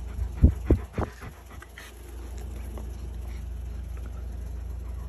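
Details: German Shepherd shredding a toy: a few sharp, loud bursts of tearing and chewing in the opening second, then soft, rapid, rhythmic panting over a steady low rumble.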